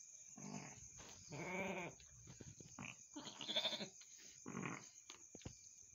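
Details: Mother goat after birthing two kids, bleating four times in six seconds: short, wavering, nasal calls, the second strongest and most tonal, amid soft rustling and a continuous high whine.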